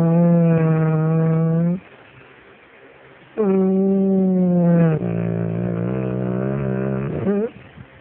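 An English Springer Spaniel 'talks' in long, moaning howls that waver, dip lower, then rise at the end.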